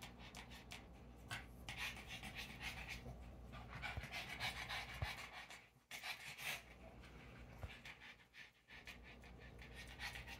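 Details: A Boston Terrier pants in quick, breathy bursts, about three breaths every second, in the background beside a fish tank.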